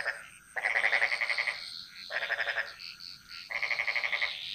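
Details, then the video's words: Jungle frogs of Bali calling in chorus: three rattling, pulsed croak bursts, each lasting about a second, with brief quiet pauses between and faint insect hiss above. "Frog Mantras - Relaxing Sounds Of Bali"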